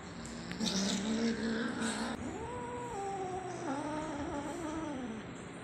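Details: Angry kitten named Spot producing a drawn-out low moaning growl that climbs slightly then slowly falls, lasting several seconds, after a burst of rustling and handling noise at the start.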